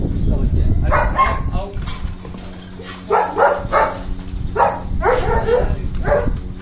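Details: Several German Shepherds bark in short, harsh bursts, grouped in twos and threes with brief pauses between, over a steady low hum.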